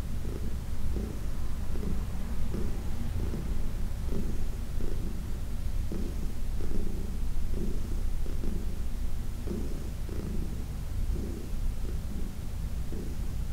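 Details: Senior cat Heidi, aged 14 and adopted from a New York City shelter, purrs continuously while being massaged; a deep, even rumble with regular breath-timed surges about once a second.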